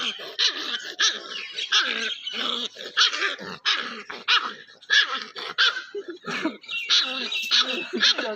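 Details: A playing puppy lets out a steady run of short yelping barks mixed with low growly sounds, bursts coming roughly every half second, rough and high-pitched throughout.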